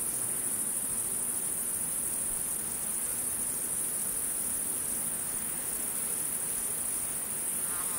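A steady, high, shimmering cricket trill runs unbroken over a soft background hiss.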